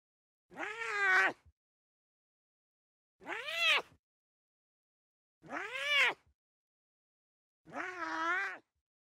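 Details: Young lion cubs at play in the wild give four drawn-out, meow-like mews, each arching up then down in pitch, spaced about two to three seconds apart with quiet gaps between.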